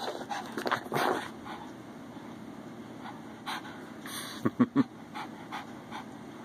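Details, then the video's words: Puppies at play, heard as soft panting and faint whimpers under a steady low hum, then a few short, sharp yips in quick succession toward the end. "puppy playtime round 2"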